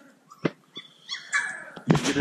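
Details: A Cane Corso puppy at play gives a few sharp short yelps, then a thin, drawn-out high whine that wavers. A louder, noisy squeal closes the moment.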